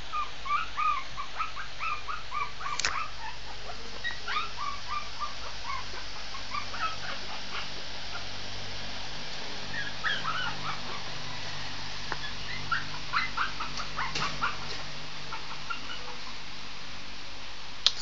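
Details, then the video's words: Shih Tzu puppy howling: thin, high whimpering yelps with faint harmonics, some rising and falling, scattered irregularly across the stretch, with a few sharp clicks and a low steady background hum. "howling cute shih tzu puppy.."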